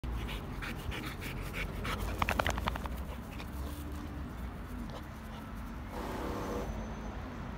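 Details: Happy Labrador Retriever dog panting in quick, breathy bursts repeated several times a second, rough and steady throughout, with a brief faint tonal whine near the end and low background rumble.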